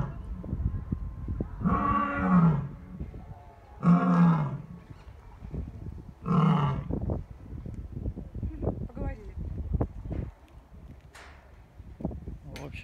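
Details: Lions held at Taigan safari park, Crimea, after a winter season together, joining a roll-call; three loud, low, rich roars about two seconds apart, followed by a trail of quieter grunts and clicks.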